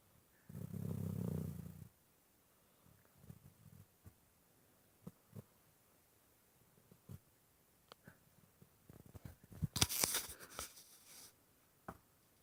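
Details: Clyde the dog snoring, a snore said to sound like purring: one low, rumbling, purr-like snore lasting about a second and a half near the start, then faint soft breaths, and a brief loud rustling burst near the end.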